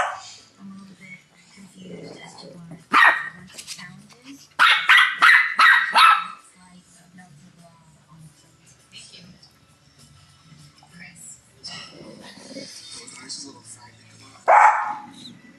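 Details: A Shih Tzu in 2011, living with two other young dogs, barks at them bossily: mostly quiet room noise, an isolated bark, a fast string of five sharp barks, then a single bark near the end.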